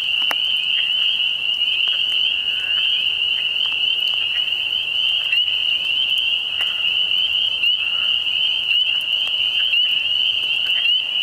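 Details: Continuous shrill frog chorus, a dense high trill sustained without pause at an even pitch and loudness, with occasional faint ticks in the background.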